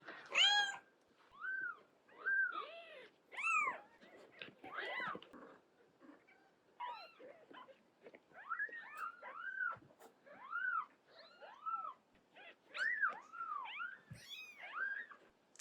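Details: Mother cat carrying her kittens out one by one to move them; a steady run of clear, arching meows, roughly a dozen over fifteen seconds, some high and thin, others lower and fuller, with short pauses between.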